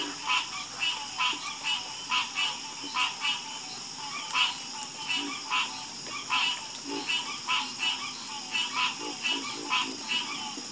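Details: Many frogs calling in a harmonious chorus: clipped, rasping croaks repeated in quick, irregular succession, sometimes doubled, with a constant thin high drone running underneath.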